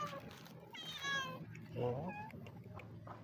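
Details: Sibling stray street cats, happy at being fed, giving two drawn-out meows, the first high and wavering, the second lower, over background hum and faint speech.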